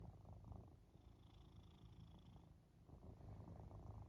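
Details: Domestic cat purring while lying on a person's back, cuddling during their nap after the gym; steady low rumbling purr with rhythmic pulses that swell and fade with each breath, in a quiet room.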